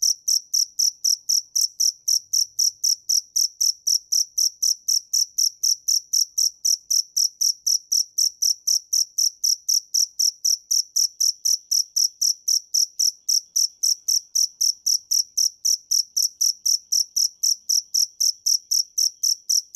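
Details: Sustained cricket chirping, a relentless train of brief, shrill high-pitched pulses at about four per second, unchanging in tempo and volume over twenty seconds of otherwise silent background.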